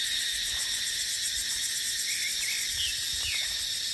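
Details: Cicadas in dry dipterocarp forest during the dry season: a dense, steady high-pitched drone that fills the whole clip, with a few faint chirps and low wind gusts underneath.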